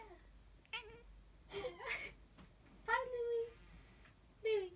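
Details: Louis, a Siamese cat who likes to sing and talk, gives a series of drawn-out, wavering meows with rich harmonics, mixed with a person's voice.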